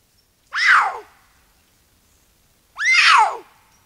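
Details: Male puma patrolling a canyon in Angeles National Forest on December 7, 2022, screaming as a likely message to another male lion nearby: two loud, harsh screams, each bending down in pitch, about two seconds apart in an otherwise quiet night.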